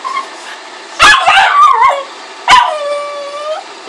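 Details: Boston Terrier and Pug mix dog, known as a Bug, gives a sharp yelping cry that bends into a wavering whine, then a second yip about 1.5 seconds later trailing into a long, falling, high whine. The room is otherwise quiet.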